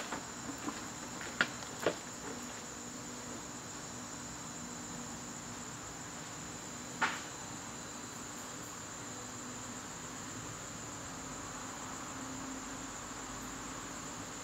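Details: September evening in a garden, where crickets keep up a constant high, thin trill, broken only by a few sharp knocks and clicks near the start and one more later on.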